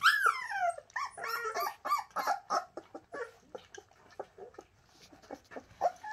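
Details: Several Shasta puppies, young Bernese Mountain Dogs, crying in a rapid tumble of short squeals and whines, some sliding downward in pitch, calls crowding one another almost without pause.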